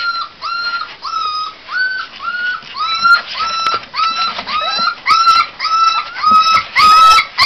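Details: A litter of American Pit Bull Terrier puppies, all males, in a box, whining: clear, high, slightly rising whimpers with bright overtones, repeated about twice a second in a steady string, with light shuffling between cries.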